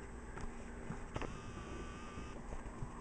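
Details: Low engine-like rumble with steady hum and faint clicks and knocks; no animal voice is heard.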